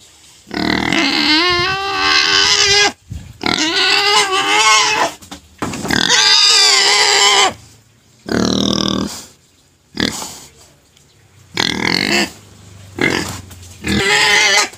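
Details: Crying pet pig, one that stops after being given sugar cane, producing a run of loud, strained harmonic squeals of one to two seconds each, separated by brief gaps and wavering in pitch.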